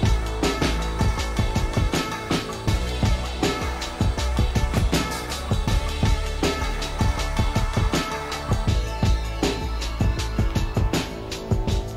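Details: Steady electronic music with a heavy beat and drums plays throughout, with no animal sounds.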